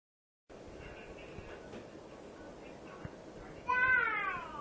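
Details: Pet cat eating a goldfish for the first time, giving a brief descending meow near the end over steady background hiss, with faint earlier harmonic sounds.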